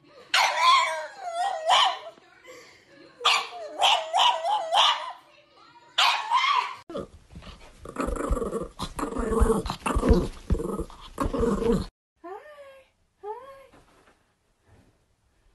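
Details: Playful dogs having fun. Several loud, harmonic barks for seven seconds, then a rough, noisy growling stretch mixed with faint voices. A few short, sharp rising yips come near the end, with quiet gaps between.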